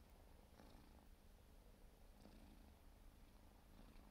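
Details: Four-month-old Siberian forest cat kitten purring while grooming indoors: a soft, steady low rumble with faint rasping licks breaking through at intervals.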